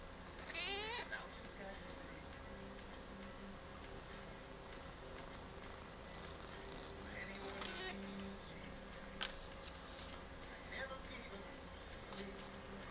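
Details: Chatty cat Mimi at the Aicat cat café in Sendai saying hello: a rising, strained meow near the start, then softer brief meows later, amid quiet indoor room noise.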